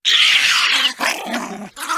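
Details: A binturong (bearcat) growls in three harsh, raspy bursts, a long rasping snarl followed by two shorter, breathier ones.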